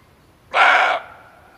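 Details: A single abrupt bark from a male barking deer, a call played to lure it when hunting. The harsh, broad burst lasts about half a second, then trails into a faint fading tail.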